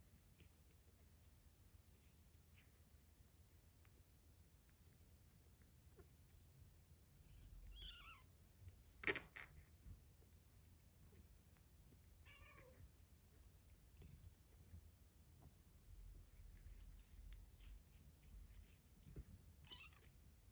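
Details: Three-week-old foster kittens playing indoors; three faint, high, descending mews spaced several seconds apart, with a sharp click or tap between them and low room hum throughout.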